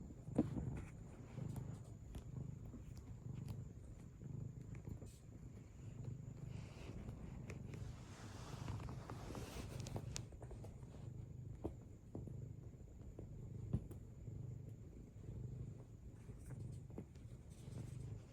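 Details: Domestic cat purring while kneading, making biscuits; a steady, low rumbling purr pulsing in regular in-and-out cycles about twice a second, with occasional soft clicks and rustles throughout.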